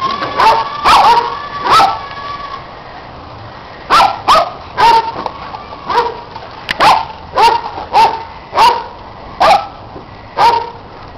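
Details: Pet dogs Orphy and Sandy chase a red Kong toy while Peg watches and Riley, the dog next door, joins in; sharp, bright barks come in bursts, about a dozen over eleven seconds, some in quick pairs.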